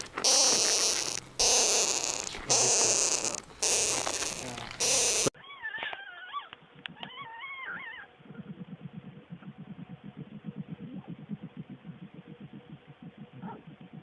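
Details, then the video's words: Skunk: a loud burst of harsh, broadband hissing with a thin high whine, then narrow-band, whistly squeals that rise and fall, then a run of rapid low pulsing chatter, about one beat per second. "SKUNK SOUND EFFECT 스컹크 울음소리"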